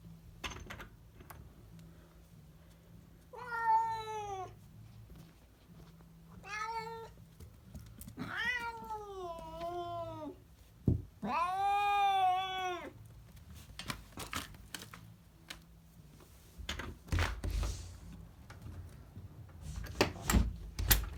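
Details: House cat in a small room uttering a series of four harmonic meows, several wavering and arched, spaced a few seconds apart, with sharp tapping clicks like typing between and after them.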